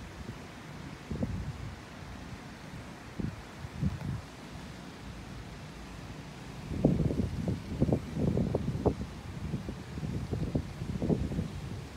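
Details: Only wind buffeting the microphone and rustling leaves, with low rumbling gusts and no animal calls.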